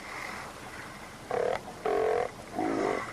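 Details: Wild Steller sea lions in the water, curious about a small, quiet boat nearby, give deep, rasping growls in three drawn-out bursts, unlike the barking of California sea lions.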